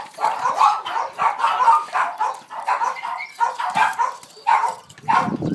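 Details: Boston Terrier Rose, thrilled at the sight of a ball and rolling it about in play, gives a near-continuous stream of rough, strained yips and whines, closely packed bursts with barely a pause between them.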